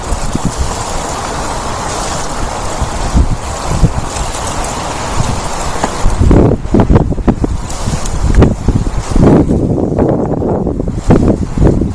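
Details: Low rumbling wind and vehicle-like noise buffet the microphone throughout, with no animal voice to be heard.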